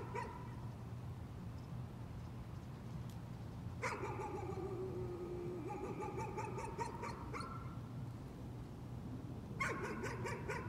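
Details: Nuisance barking from a dog: quick runs of sharp, high yapping barks, one at the start, a longer volley from about four to seven seconds, then another burst near the end, over a steady low background hum.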